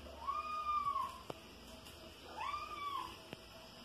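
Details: Two long, bowed mews from Soneca, a five-month-old house kitten and flying insect hunter, each swelling and falling; a couple of faint clicks sound between them in a quiet indoor setting.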